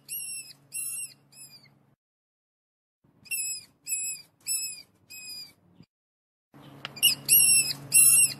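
A mouse gives thin, high squeaks in short bursts of three or four, a few per second.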